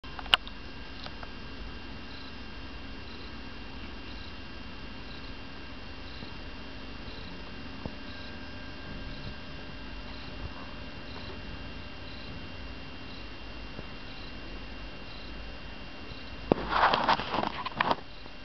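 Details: A three-month-old female Balinese kitten purrs softly while asleep indoors: a low, steady, quiet rumble runs through the recording, broken only by a short burst of rustling handling noise near the end.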